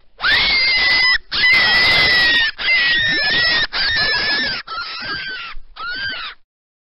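A rabbit gives six loud, harsh, screaming cries, each about a second long and gradually dropping in pitch.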